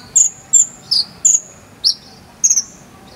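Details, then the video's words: Shrill tonal cricket chirps, jangkrik sambung cililin type meant for konin song training, spaced about every half second, several ending in a sliding drawn-out tail, the last a quick stuttered double note. "KONIN ISIAN JANGKRIK SAMBUNG CILILIN"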